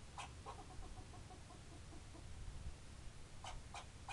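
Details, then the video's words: Barking squirrel with two sharp clicking chips at the start, then a fading train of soft repeated nasal notes, and a fresh burst of three quick chips near the end, all against a low hum. "Barking Squirrel"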